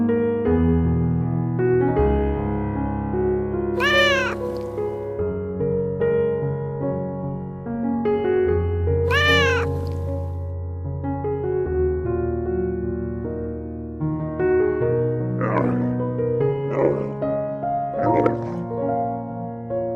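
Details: Cat giving two long, wavering meows close together near the start, then several shorter, softer mews toward the end, all set against a constant bed of background music.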